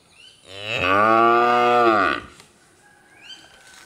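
A bull gives one deep, drawn-out moo lasting nearly two seconds, steady and full before dropping off, followed by a faint higher sound.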